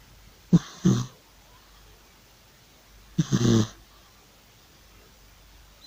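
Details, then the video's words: An old cat loudly snoring in its sleep: two rough, breathy snorts, each a double rasp, about three seconds apart, with quiet between and another starting at the end. "An old cat Georgie is loudly snoring"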